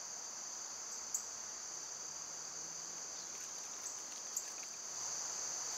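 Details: A constant shrill buzzing chorus of cicadas in summer carries without a break, with a few short, faint bird chirps above it and a slight swell in loudness near the end.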